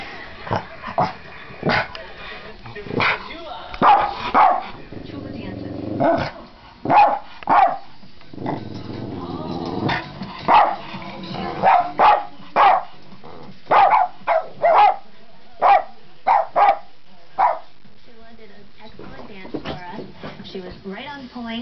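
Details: Buddy, a pet dog, barks loudly out of confusion and frustration at a television, with sharp, loud barks in bursts, some in quick pairs, between stretches of speech and television sound.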